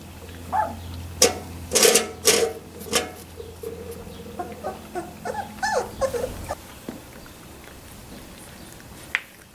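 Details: Labrador Retriever puppies at three weeks old give a run of short, squeaky whimpers and yelps, clustered over about six seconds with brief pauses, amid low rustling and a steady hum.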